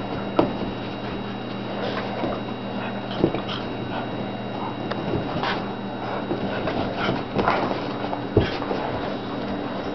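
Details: A Jack Russell Terrier and a three-legged Siberian Husky at play, giving short scattered yips, whimpers and soft growling bursts at irregular intervals over a steady low electrical hum and light patter.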